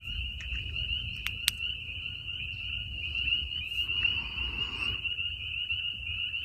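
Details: A night frog chorus in woods on a warm night gives a steady, high, shrill trill that never lets up.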